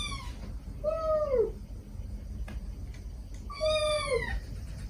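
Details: Feral mother cat and kittens rescued together, recorded to lure a last hiding kitten; two clear harmonic meows with a falling, arched contour, about three seconds apart, over low background rumble.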